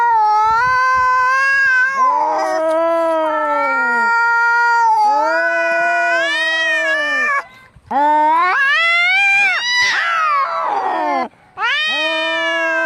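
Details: Angry cats fighting: long, loud, wavering yowls that swell and slide up and down in pitch, overlapping in drawn-out howls with brief pauses between bouts.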